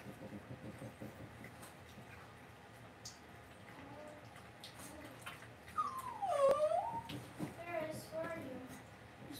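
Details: Cavalier King Charles Spaniel puppies raised indoors in a home puppy pen; after quiet room hum, a few thin, wavering whines slide down then back up, followed by a shorter dipping whimper, with soft rustling around them.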